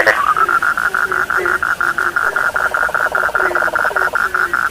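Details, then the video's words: A frog chorus heard as soothing sleep sound: a continuous high, finely pulsed trill dominates, with a faster rattling layer in the middle and short low rising croaks repeating about twice a second beneath. "The sound of frogs lulls sleep, 30 minutes you fall asleep soundly.( Suara katak Penghantar Tidur )"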